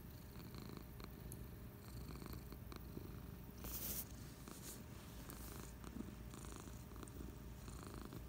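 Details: Purring from Patches, a cat lounging on the couch on a Friday afternoon. The deep, continuous rumble holds steady throughout, with a short rustling noise just before the midpoint.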